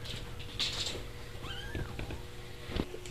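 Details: Indoor domestic cat giving a short meow, a smooth arched tone rising then falling, amid light clicks and household noise. An older cat is pushing a kitten.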